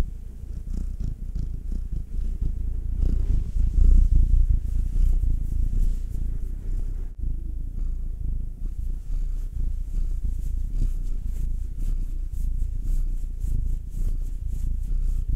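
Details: Contented house cat purring under massage, one of a black nine-year-old male and a two-year-old tortoiseshell Munchkin female; a loud, continuous deep rumble pulsing rapidly and evenly, briefly swelling, with a few light touching and rubbing noises in a small room.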